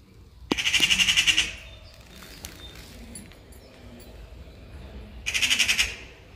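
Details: Caracal reacting to birds: two loud bursts of rapid, harsh, buzzy pulses, each lasting about a second and separated by several seconds of quiet background.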